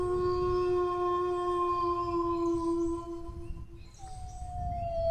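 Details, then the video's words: Long, steady dog howl tones held together for several seconds, fading out, then another howl enters and slowly slides downward. Low background noise is constant. "howling dog sounds"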